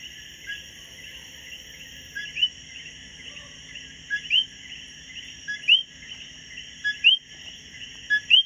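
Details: A single coqui singing on a B&B patio in Hormigueros, Puerto Rico, gives short, sharply rising chirps over a steady, high insect chorus, falling silent once found.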